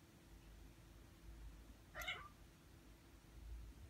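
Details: Ragdoll kitten aged six months calls out once while getting in the way of keyboard work at a computer; one brief, thin meow midway, over a low indoor rumble.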